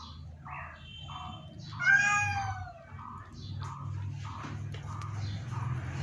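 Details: ['Ailing pet cat utters one loud, wavering meow in the middle, while a repeated tonal beeping pattern and a low hum run through the background.']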